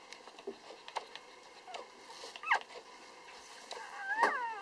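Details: Three-day-old Lhasa Apso puppies indoors; two short, high, thin squeaks that bend up and then fall away, one midway and one near the end, with soft rustling and faint background talk between them.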